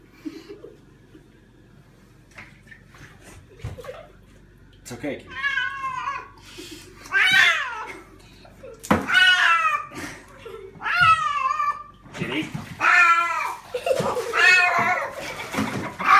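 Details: Domestic cat yowling during a bath, long wavering harmonic meows repeated every second or two, rising then falling, with a person repeatedly speaking soothing words and splashing water.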